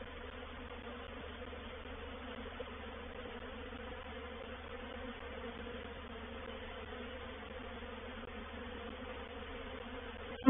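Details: Honey bees of a reproductive swarm entering a swarm trap at Painted Peacock Manor, 04/07/21: an even, continuous low hum with a layered tone, ending in a sharp knock.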